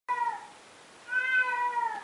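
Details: Domestic cat, an indoor male said to meow constantly day and night: a short falling meow, a pause, then a longer, drawn-out meow that sinks slowly in pitch; quiet room otherwise.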